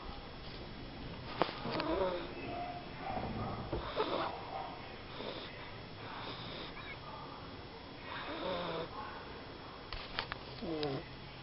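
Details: A small sleeping pet dog snores in rough, raspy bursts, each breath rising and falling about every two seconds, with a few soft sniffs in between indoors.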